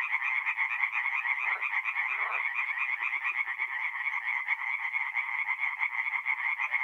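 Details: Chorus of tree frogs at a forest pond by night, mid-April, North-East Italy; many overlapping fast rattling croaks form a continuous loud pulsing wall of sound, with a few lower croaks briefly beneath.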